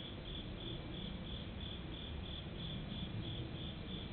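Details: An insect chirps steadily in high, evenly spaced pulses at a temple in Japan on a summer night, 31 August 2015, over a low background rumble, with airplanes audible in the recording.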